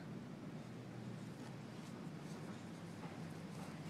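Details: Only a steady low rumble of wind and surf is heard at a beach.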